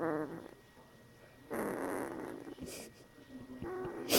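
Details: A one-week-old female Bernese Mountain Dog puppy growls in her sleep, apparently dreaming: soft, breathy growls and small grunting whimpers.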